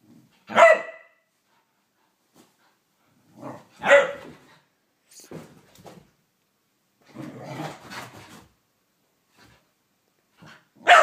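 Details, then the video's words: Blu the whippet, a pet dog having a mad five minutes, barks loudly indoors in a small room: sharp single barks spaced a few seconds apart, with softer growly, scuffling sounds between them. "Blu the whippet going crazy"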